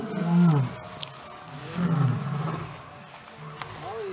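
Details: Lion, a pride leader keeping order during evening chases, gives deep rumbling roars in two swelling bouts, the first near the start and the second about two seconds later, with faint background noise between them.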